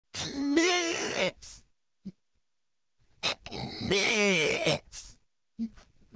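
A cow gives two drawn-out, wavering moos, each about a second long, with a short pause between.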